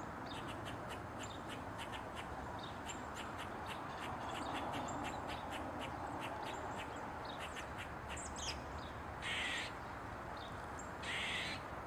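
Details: Eastern gray squirrel barking steadily from atop a mushroom, a long series of sharp clipped notes at roughly three per second, ending in two loud raspy squeals, with a continuous hiss of ambient noise underneath.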